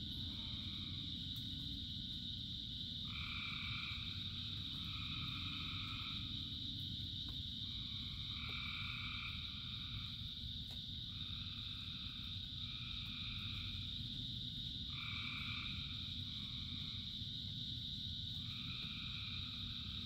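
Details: A dense frog chorus in the rain: buzzy trills about a second long repeat every second or two and overlap, set against a constant high-pitched chorus hum and a steady low patter of rain.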